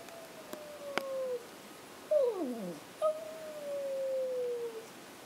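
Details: Pet Chihuahuas howling indoors, started off by a person howling with them, the dogs howling when their owner cannot be found: drawn-out tonal wails, one sliding steeply downward, then a long, slowly falling held note.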